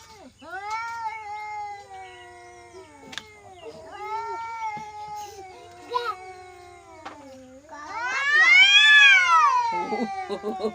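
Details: An angry village cat producing long moaning meows that bend downward, then a loud rising-and-falling yowl near the end, while people talk in Hindi nearby.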